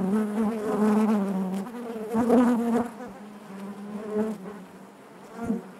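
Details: Loud, close honey bee buzzing within the hive, a rich low drone with bright overtones that surges strongly twice in the first three seconds, then settles into a quieter wavering hum.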